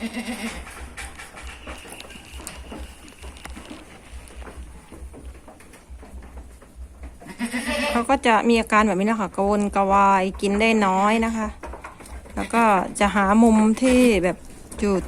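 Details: Female goat near kidding, alone away from the herd and straining in labour, breaks into a run of loud quavering bleats after several quiet seconds of speech, the cries coming in rapid, overlapping bursts.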